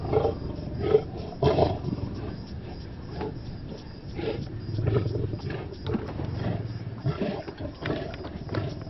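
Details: Male lions at a buffalo kill, Maasai Mara, Kenya: a cluster of loud rasping snarls in the first two seconds, followed by irregular deep growls and a low droning rumble.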